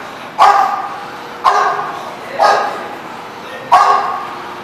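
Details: A dog gives four loud, abrupt barks at uneven intervals of one to two seconds, each with a short ringing tail in a reverberant space.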